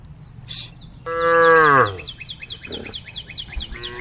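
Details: A tame female cow from a group calling the herd: a single loud moo of almost a second that falls in pitch at the end, followed by a faint low call, with bright repeated bird chirps running throughout.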